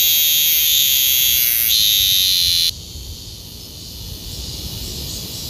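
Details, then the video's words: Male cicada (maemi) in the Sejong University garden, South Korea, calling loudly to attract females: a shrill, steady buzzing scream that cuts off abruptly after a few seconds; cicada. "Screaming Cicada, 매미 South Korea"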